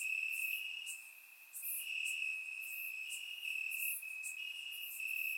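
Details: On a warm summer night in Bulgaria, crickets chirp in the grass: an unbroken shrill trill holds steady while sharper, higher chirps break in repeatedly over it, recorded with a surround microphone.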